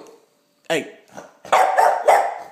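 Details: Boston Terrier and Fox Terrier cross barks indoors, jealous while another dog eats; one sharp bark, then a run of three loud, rough barks in quick succession, with a person's brief word before.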